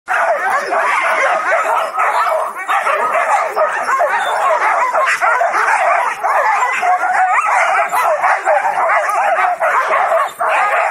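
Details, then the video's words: Huskies at a husky farm in Rovaniemi, Finland, in summer, anxious to go while waiting to pull a wheeled sled; a dense, continuous chorus of excited barks, yips and howl-like cries from many dogs, recorded on a phone. "Huskies waiting to go"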